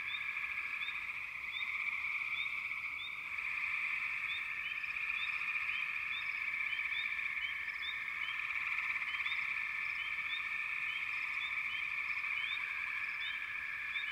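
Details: A backwater frog chorus: a dense, steady wall of overlapping trilled calls, with short rising chirps repeating above it throughout and a slight swell in intensity partway through.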